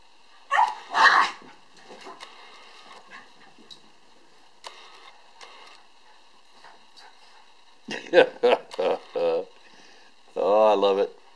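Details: Two Cairn Terriers, Bonnie and her sister Zoey, playing soccer: a pair of sharp yaps open, then quiet scuffling, a quick burst of four or five barks, and a longer tonal growling bark to finish, with a person's voice in between.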